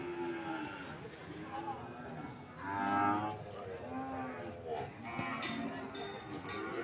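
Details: Several PO cattle at the Sokaraja cattle market in Banyumas, low droning moos overlapping, one swelling louder near the middle, with a chattering crowd and faint background music.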